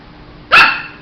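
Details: Shih Tzu puppy giving a single short, sharp bark with a quick onset and bright upper tones, against quiet background hum.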